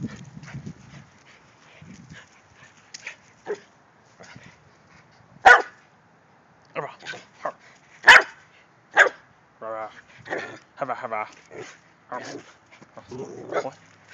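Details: Italian Greyhounds named Bandit and Buddha playing in a backyard; sharp, scattered barks and yips at irregular intervals, mixed with a person's cheering speech.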